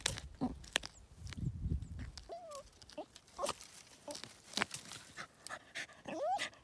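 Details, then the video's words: Cooper the Border Terrier hunting a critter under a big tree's roots; short rising whines and whimpers between sharp snuffs and digging thumps, with a low rumble early on. "Border Terrier after a critter"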